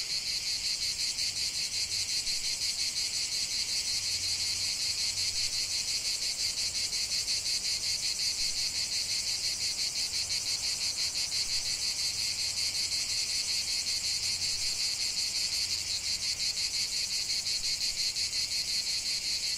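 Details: Chorus of cicadas in a lavender field, an unbroken shrill, rasping drone throbbing in quick regular pulses roughly three per second, while a soft low rumble comes and goes underneath.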